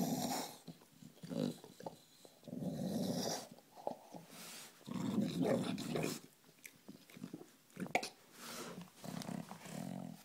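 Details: Pet bulldog growling indoors: low, rumbling, gurgling growls that sound like bubbling, in bursts of one to two seconds separated by short pauses and breaths.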